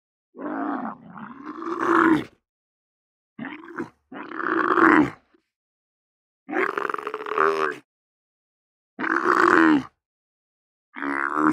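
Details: Camel moaning: five or six long, harsh, throaty groans of one to two seconds each, separated by short silences, with a rough, gurgling quality and a wavering pitch.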